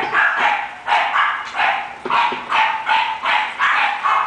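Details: Taury, an English bulldog up for sale, gives rapid, insistent barks, about eight sharp yaps in quick succession at a fairly steady pace, loud and close.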